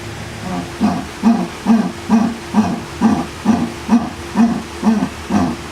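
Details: Jaguar. A jaguar calls with deep, rasping grunts repeated in a regular rhythm, about two each second. Each grunt is short and throaty, like a saw drawn back and forth through wood.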